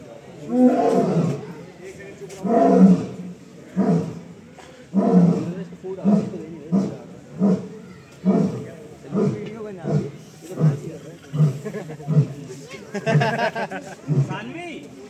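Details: A male lion roaring for food gives a few long, deep moaning roars, then a run of shorter, grunting roars.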